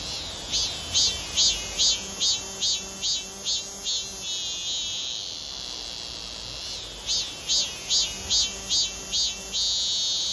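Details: A male robust cicada sings from atop a stream access-control barrier at Uicheon during heavy-rain flooding: runs of loud, buzzy pulses, about two or three a second, pausing briefly between phrases over a steady high insect drone.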